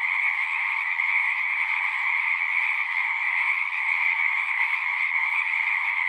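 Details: Many frogs calling at a pasture pond, recorded with a Zoom 6: overlapping high trills merge into a level, ringing chorus with slight pulsing, and no other sounds intrude.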